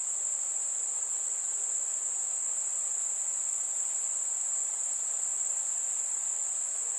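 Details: Warm summer night with crickets: a single continuous, very high-pitched trill holds steady throughout over a faint hiss.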